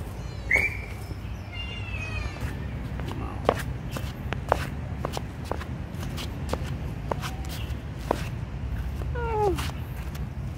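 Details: A kitten being given food mews clearly: a sharp rising meow at the start, a longer wavering cry soon after and a falling meow near the end, amid frequent sharp clicks and taps from feeding over low hum.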